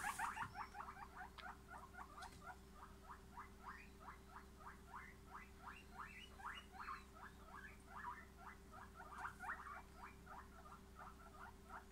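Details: Guinea pigs calling with a rapid run of short squeaks, repeated several times per second over twelve seconds, each squeak a quick rising-then-falling note; steady low electrical hum underneath.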